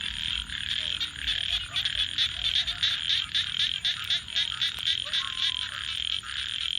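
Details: Nighttime frog chorus near a campfire, with many overlapping, rapidly repeated buzzy croaks forming a throbbing wall of sound. A few lower chirping notes stand out, and a single sharp crackle comes from the fire.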